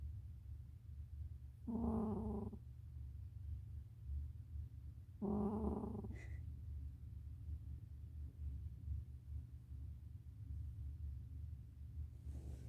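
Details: Cat snoring softly: two raspy, buzzing breaths nearly a second long, spaced about four seconds apart, then quiet with only a faint steady hum.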